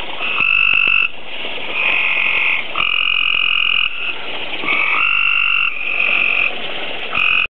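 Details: Tree frogs breeding at a koi tank, where they produce tadpoles daily, give loud, high, buzzy trills about a second long in a near-continuous chorus.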